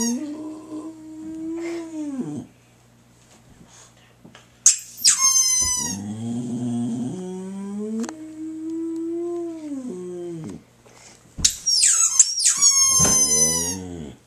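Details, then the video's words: Boxer dog howls to a squeaky toy, giving two long, level, mournful howls with a pause between, each set off by bright, falling squeaks from the toy, ending in a wavering howl. "Boxer Dog Howls to Squeaky Toy"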